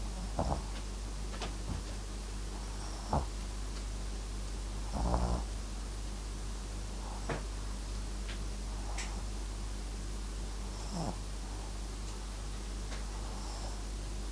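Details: Papillon and Japanese Chin mix dog MAX asleep, snoring: soft low snorts and breathy bursts recur every one to two seconds at an uneven pace over a steady low hum.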